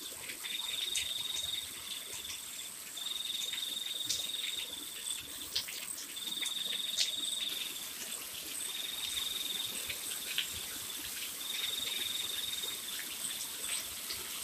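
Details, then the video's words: Night crickets calling in the rain. Bursts of shrill, even trilling, each about a second or two long, recur every few seconds, and sharp high chirps cut in between. Constant rain noise fills the background. "Malam makin sepi.. hanya suara hujan, suara jangkrik dan anjing menggonggong"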